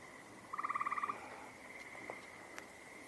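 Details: A frog heard outdoors on 14 June 2025 gives one rapid, pulsed trill of about a dozen even beats lasting just over half a second. A faint steady hum sits in the background with a few distant clicks.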